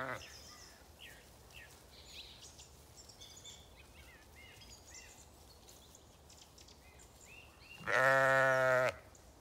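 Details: Zwartbles ewes rest in a wood on a regenerative farm in County Kilkenny, Ireland, chewing their cud; after scattered birdsong, one loud, rich, harmonic bleat lasts about a second near the end.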